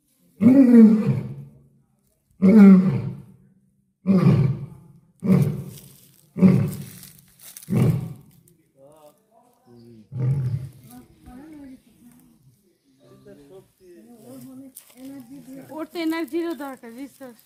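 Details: A lion at the Dulahazara safari park in Cox's Bazar gives a bout of deep, booming roar-grunts, each lasting about a second, followed by people talking.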